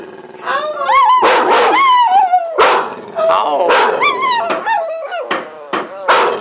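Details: Pet dog howling loudly while people urge it on; wavering, rising-then-falling howls with strong harmonics, broken by sharp bursts of human voices saying "how" repeatedly.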